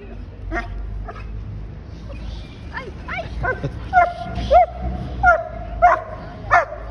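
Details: Bernese Mountain Dog greeting its returning owner at an airport after a week apart; speech and bustle first, then rising excited whines and yips about once a second toward the end.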